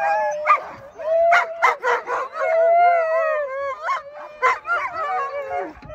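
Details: Sled dogs in Ontario's Larose Forest, Canada, worked up before hitting the trails. Long, steady, sliding howls alternate with sharp, pulsing yelps from several dogs.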